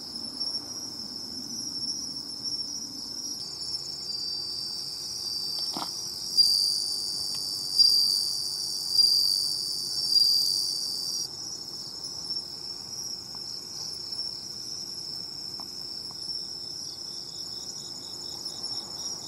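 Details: At the seashore, bell crickets ring steadily; a louder nearby singer adds three or four bright swelling trills around the middle, set against constant high insect shimmer and a faint low hum, with one brief click.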